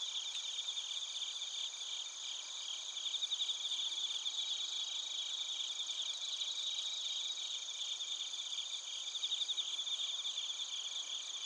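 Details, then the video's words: Chorus of bell crickets and crickets at Narita in Chiba Prefecture, Japan, recorded on a TASCAM Portacapture X8. Rapid, shimmering chirp trains repeat continuously and swell around three and nine seconds, layered over constant high-pitched insect whine. "スズムシとコオロギの鳴き声 - Chirping of crickets"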